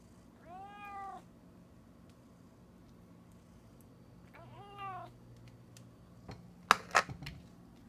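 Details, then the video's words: Spoiled house cat begging for food, as it does every time it gets a can; two drawn-out, harmonic meows about four seconds apart, each rising then falling, followed by sharp clicks and knocks. "Spoiled Cat Begs for Treats"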